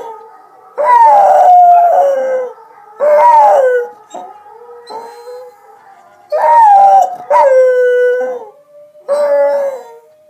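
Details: A pet dog gives loud, drawn-out howls that bend upward and then fall away. There are five main howls in two bursts, with soft, low moans in the gaps and near silence behind them.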